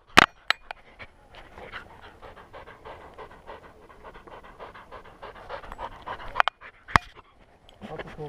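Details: Welsh Springer Spaniel puppy Skyline panting on the trail at Enchanted Rock near Fredericksburg, Texas, from a GoPro on his collar: a steady run of quick, soft, airy breaths, opened and broken by loud knocks and clicks.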